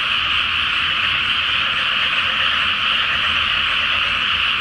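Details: Frogs in a great night chorus over a flooded rice paddy before planting, under a full Flower Moon; a dense, unbroken wall of overlapping croaks fills the air, steady throughout with no pauses.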